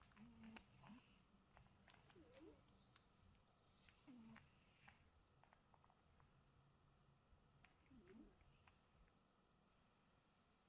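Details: A sleeping cat snores gently while dozing at home. Breathy, hissing inhalations return about every three seconds, each joined by a faint low rasping tone. A quiet electrical hum runs throughout.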